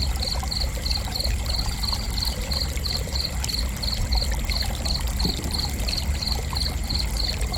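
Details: Cricket chirping for relaxation: an unbroken series of high, crisp pulses, about four each second, keeping an even rhythm over a soft continuous rush of trickling water.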